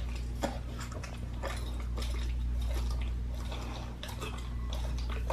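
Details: Raw-fed pit bull gnawing a raw lamb leg, with uneven crunching and tearing bites in quick succession and a constant low background hum.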